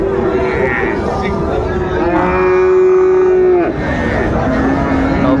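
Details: Friesian and cross-breed bull calves at Raniganj cattle market, Dinajpur, on 26 December 2024: one long, steady, mid-pitched moo that holds for over a second and then breaks off, over a constant background of market chatter.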